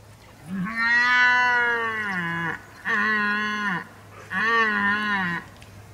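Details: Red deer stag, recorded in October 2023: three loud, deep, harmonic roaring bellows. The first lasts about two seconds and the next two about one second each, all with a slightly falling, groaning tone.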